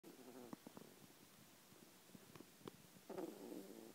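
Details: Truffle, a poodle, snoring lightly while asleep: two soft, breathy, low snores about three seconds apart, one at the start and one near the end, with faint rustling between them in a quiet room.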